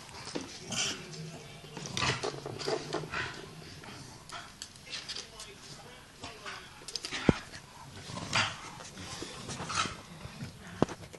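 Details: Two adult Staffordshire Bull Terriers and two tiny puppies playing roughly together indoors, with scuffling, short growls and yips scattered through, thumps, and a person speaking in the background.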